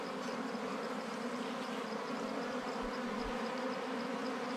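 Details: Wild bees at a harvested nest in honey hunting season give a continuous, thick buzzing drone with rich low overtones, level and unchanging, with two soft low thumps near the middle.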